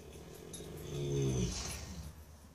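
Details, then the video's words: A 4-year-old Paso Fino gelding snoring while asleep at night, as it does every night; a single low rumbling, rasping snore swells and fades over about a second, with faint background hiss. "Colt Snoring"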